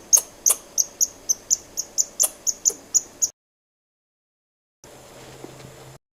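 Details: Quick volley of sharp, high, clicking squirrel notes lasting about three seconds, then silence, followed by a low steady hum.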